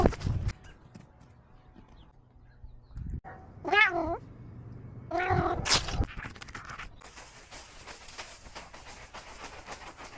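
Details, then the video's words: A cat gives two short wavering meows a second or so apart amid scattered clicks and rustling, followed by a continuous hiss of background noise. "Cat's funny sound"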